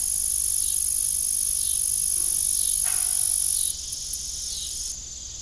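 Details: Crickets chirp in the evening at an old farm with a disused windmill, forming a shrill, unbroken high trill with a single short knock midway.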